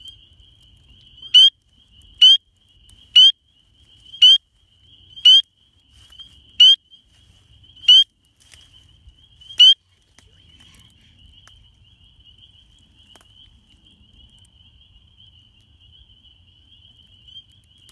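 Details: Male spring peepers calling in numbers for the first time of the year at a farm pond in the South Carolina Upcountry on February 2, ahead of warm-front rains, moving from the woods to breed; loud clear rising piping peeps about once a second, then a faint distant chorus.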